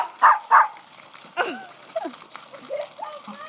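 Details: Whippet puppy leaping through a backyard sprinkler gives two loud, sharp barks in quick succession at the start. Human voices and water spray continue afterward.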